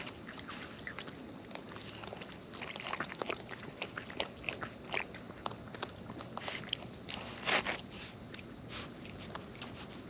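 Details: Raccoons in the wild munching food close by: scattered crunchy bites and smacking clicks, thickening into a busier cluster of chewing near the end.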